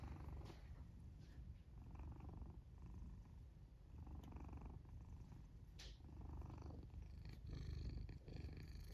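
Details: Sleeping black domestic cat in its fort, purring while it snores; a continuous low rumble rising and falling with each breath, about every one and a half seconds, plus faint rustling clicks.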